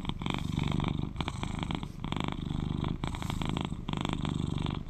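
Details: British Shorthair tomcat, 11 years old, purring loudly and close up, a buzzing low vibration pulsing in breath-length waves of about one and a half seconds.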